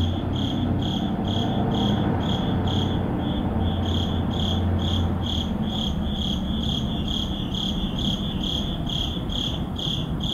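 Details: Crickets chirping at midnight in an urban neighborhood, a brisk run of high, evenly repeated pulses near four per second, accompanied by a low background hum that eases off after the first few seconds.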